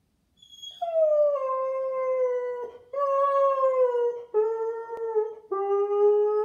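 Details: Hera, a blonde Bouvier dog said to sound like Chewbacca, gives drawn-out moaning howls in four long phrases, each slowly sliding downward with rich harmonics, separated by short breaks, indoors.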